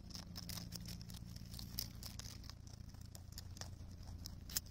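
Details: Crunching of cabbage by a rabbit on Okunoshima, Rabbit Island, June 2021: sharp, dry bites come in irregular clusters with short pauses, over a constant low hum.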